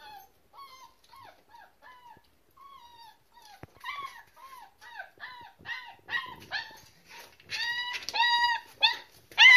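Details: German Shepherd Boxer mix puppies crying indoors: thin, whining cries with a falling bend, soft and spaced at first, then growing louder, quicker and more overlapping, with several pups calling near the end.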